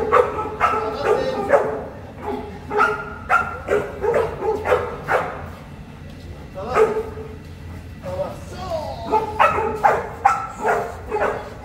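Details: Boerboel, also called South African Mastiff, living in Egypt, barking in rapid deep bursts of several barks, pausing briefly between runs, over a constant low hum.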